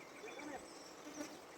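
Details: Honey bees in Nepal's Himalayan forest, being moved by a beekeeper from a cliff into a hive box; a steady, dense humming buzz with faint higher whines from individual bees.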